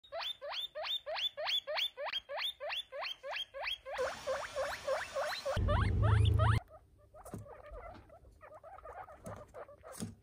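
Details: Noisy baby guinea pigs give loud, rising wheeks repeated about three times a second, then a brief burst of loud rustling noise, followed by quieter, scattered squeaks.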